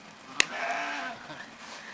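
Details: Romanov sheep in Tver Oblast, Russia, spring 2019, during hoof trimming of stall-kept ewes: a sharp click, then a brief, harmonic, slightly wavering bleat lasting about half a second, with faint handling noise around it.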